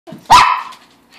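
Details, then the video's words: A pet dog amused by a fish tank, dancing on two legs and tapping, gives a single sharp bark that rises and holds briefly before fading, with a soft yip just before it. "Doggy is amused by the fish tank"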